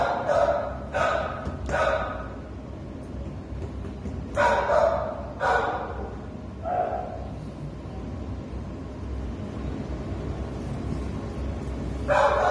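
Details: Pluto, a Treeing Walker Coonhound up for adoption, recorded 13 November 2019, gives loud, harmonic barks in scattered bursts, three in quick succession, then a pair, one more, and a last bark after a long pause.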